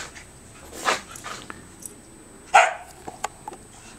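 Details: Pet corgis chasing each other in the snow: two sharp, short barks, one early and one louder near the middle, with scattered crunching clicks and a faint steady high hiss in the background.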